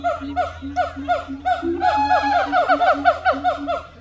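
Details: Siamang gibbons at the Honolulu Zoo, Oahu, Hawaii, on 15 September 2022, sing loud, rhythmic hooting notes rising and swooping in quick repeated phrases.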